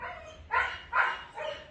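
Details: Golden retriever puppies giving three short, bright barks spaced about half a second apart, each a quick burst with faint background hiss.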